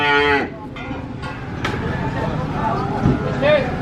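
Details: Cow letting out one short, loud, harmonic moo at the start while being unloaded, followed by clattering knocks, a low engine rumble and faint voices.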